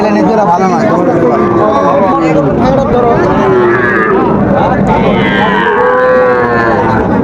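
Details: Sahiwal bull calves bought by a Dhaka farmer at a cattle market on 15 August 2024: loud, drawn-out low moos overlap one another, wavering in pitch, amid constant crowd chatter and market noise.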